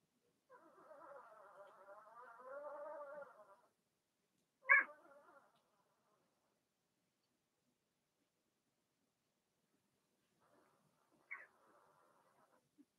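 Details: Blenheim Cavalier King Charles Spaniel puppies from a six-pup litter born March 7–8, in an indoor puppy pen during potty training; a three-second wavering, nasal whine, then a sharp high yelp and a fainter whimper near the end.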